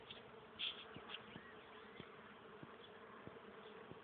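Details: A flowering maple busy with bees on 31 March 2014. A continuous diffuse drone is broken by brief brighter flickers and faint ticks.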